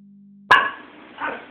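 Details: Tanuki, a female Pomeranian, being coached to howl but mostly barking; a single sharp, loud bark breaks the quiet, then a second softer bark follows less than a second later.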